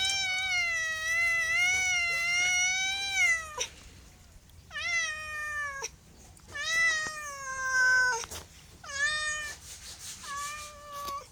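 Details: Meowing domestic cat: a long, wavering, slightly falling meow of over three seconds, followed by four shorter meows that rise and then drop, with brief gaps and small clicks between them.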